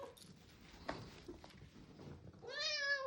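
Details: Orange cat indoors at feeding time, quiet rustling and a woman speaking, then one drawn-out rising-falling meow at the end.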